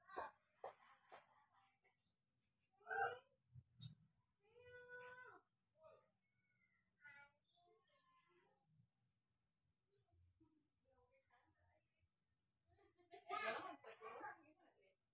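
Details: Cats at home while playing: a run of short, wavering meows with bending pitch, some rising then falling, spread through the first half, with human voices and household clatter around them and a louder burst near the end.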